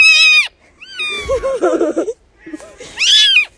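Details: Kitten meowing: a high, drawn-out meow that rises then falls, a short human voice in the middle, then a second meow of the same shape near the end.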